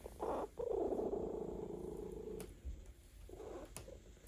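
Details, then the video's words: A cat being massaged purrs contentedly, one rumbling burst followed by a longer steady purr of about two seconds, then softer intermittent purring with small clicks and rustles. "RELAXED CAT ASMR"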